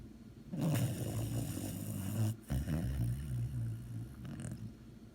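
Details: Sleeping dog giving a long, low buzzing snore, a quick break, then another rumbling breath that slowly fades.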